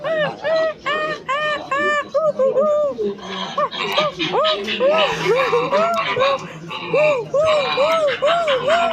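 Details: Silvery gibbon producing a long sequence of rising-and-falling whoop notes, first clipped and evenly spaced, then faster, overlapping and more excited toward the end, over a low background murmur.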